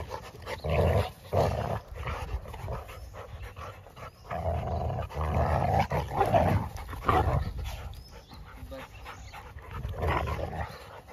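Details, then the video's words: Three Labradors at play, giving throaty growls and heavy panting in bursts of a second or two, then a brief lull before the next round of roughhousing. "Three labrador playing together"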